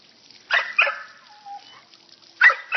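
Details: A female dog playing in a water fountain, said to have a very funny bark: two quick harsh barks, then a thin, wavering whine, then another pair of barks near the end.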